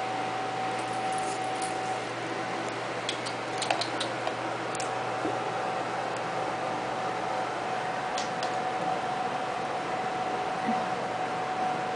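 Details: Constant fan-like hiss and a faint steady hum indoors, broken only by small clicks and rustles, with no animal voice.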